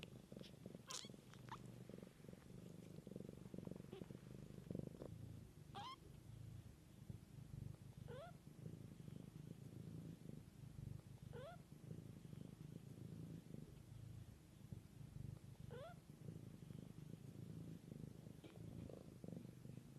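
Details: Mother cat with kittens in the wild: a soft, continuous, rumbling purr fills the recording, with faint, thin, upward-sliding kitten mews about every two to three seconds.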